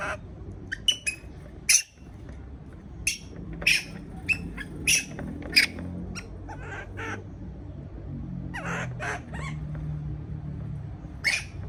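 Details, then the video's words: Young monkey afraid at being left alone in its cage gives sharp, shrill shrieks and squeaks, irregularly spaced with short pauses, over a low background hum. "sound of monkey when affraid to be alone"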